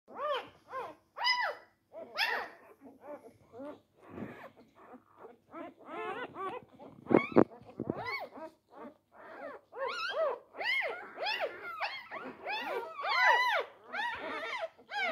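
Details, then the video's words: Four-day-old Labrador Retriever puppies jostling for their mother's teats, giving many short high squeaks and whines in overlapping bursts, with a few louder yelps and soft squeaks between them. "Die Labrador Welpen am Tag 4. Kampf um die Zitzen."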